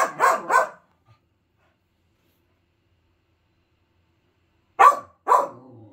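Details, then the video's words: Five-month-old male Finnish Lapphund puppy barking: a pair of quick, full barks, a long silence, then another pair of barks, the second trailing into a low rumble. "Barking and Grumbling (Finnish Lapphund Puppy)"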